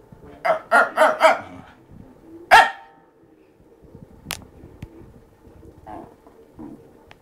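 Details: Male fox terrier vocalizing at its owner in a bid for play attention; four quick harmonic barks in a row, a louder single bark after a pause, then softer scattered grumbles and clicks in a small room.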